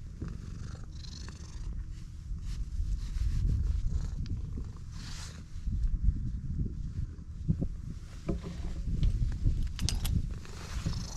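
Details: Continuous low rumbling purr from a stray cat right after meeting, loud and pulsing, swelling in strength midway, with scattered rustles and light taps from handling.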